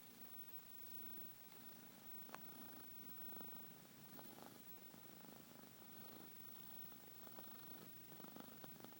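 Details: Sleeping domestic cat snoring, a soft, low continuous rumble with faint irregular breathy pulses under a steady room hiss.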